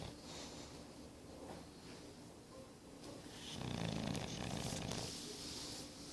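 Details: Snoring from Boris, an English Bulldog aged nine months. A rough, rattling snore swells near the middle and fades slowly against a steady indoor background.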